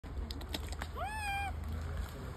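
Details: Monkey. A young monkey lets out a single tonal, coo-like cry lasting about half a second. It sweeps upward, then levels off into a steady, slightly nasal note, heard over a constant low rumble and faint electronic whine.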